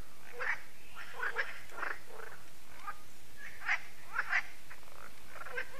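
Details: Frogs at Lac de Sabatte, a lake in France, croaking in the evening. Scattered short rasping croaks come singly and in pairs every second or so over a quiet low rumble.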